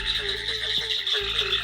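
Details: In the North Carolina Sandhills, a dense background chorus of cricket frogs makes high-pitched, cricket-like chirping clicks that merge into a steady, insect-like buzz.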